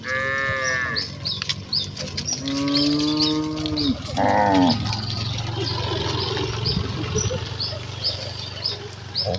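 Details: Village cattle herd running excitedly toward their pen in the countryside; several drawn-out, deep harmonic moos, some rising then falling, overlap in the first five seconds, with small birds chirping steadily in the background.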